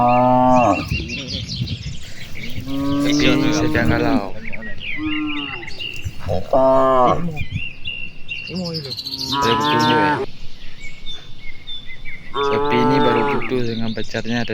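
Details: Cattle answering each other across a broad rice field in the afternoon: six loud harmonic moos over fourteen seconds, some rising then falling, with birdsong and a faint cricket-like trill in the background.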